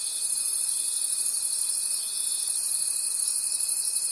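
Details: Forest crickets at night produce a continuous, very high buzzing trill with a gentle rhythmic pulse, over a constant thin whistle-like tone.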